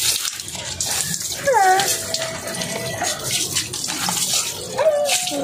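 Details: American Bully puppy giving high whines that slide downward, one long whine near the middle and a shorter one near the end, over running water and splashing with some speech.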